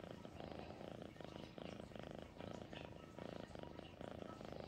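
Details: House cat purring in clear rhythmic cycles, each breath giving a rumbling burst roughly every two-thirds of a second, alternating with brief quieter gaps.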